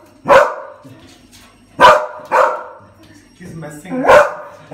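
A dog gives sharp, broadband barks, four of them spaced irregularly over a few seconds.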